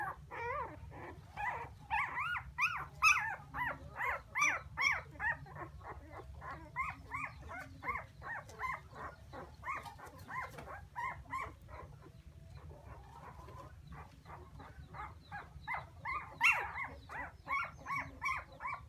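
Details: Puppies crying, calling for their mother: a dense chorus of high, arched, wavering whines overlapping from several pups, each cry rising then falling, repeated rapidly with brief lulls around eleven to fifteen seconds.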